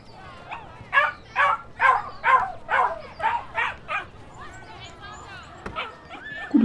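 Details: Dog and puppy vocalising in a steady run of about eight harmonic yelping barks spaced roughly half a second apart, then fading to softer whines and a final sharp sound.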